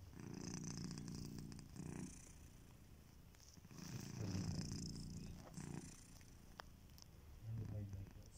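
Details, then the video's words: Sleeping domestic cat Kitiboy snores indoors, a low, rattling purr-like rumble in slow breathing cycles, each lasting one to two seconds, separated by quieter pauses. "Kittyboy: The snoring cat"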